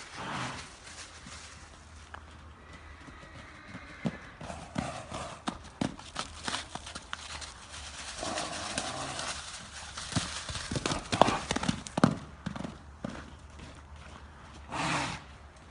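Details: Dahes al Rayyan, an Arabian horse, gives harmonic whinnies that rise and fall around the fourth to sixth second and again near the tenth, among sharp hoof clops and thuds, with faint speech in the background.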